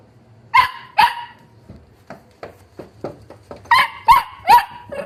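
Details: Wire-haired Dachshund puppies from a litter of seven siblings: sharp, high yapping barks in pairs and triplets, with softer short yips between them, roughly two to three per second at the busiest points.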